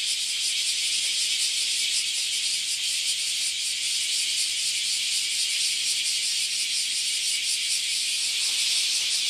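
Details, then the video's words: Cicada invasion at a Japanese farm house: a harsh, sizzling high drone from many insects, pulsing rapidly and evenly, with a faint low hum underneath. "LOUD Cicada Invasion at the Japanese Farm House"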